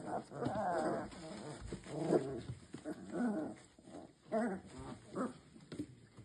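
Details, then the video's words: Three-week-old Labrador puppies play fighting together give rough, rolling puppy growls in overlapping bursts about once a second, with brief squeaky yips between them. "Baby Puppies Playing."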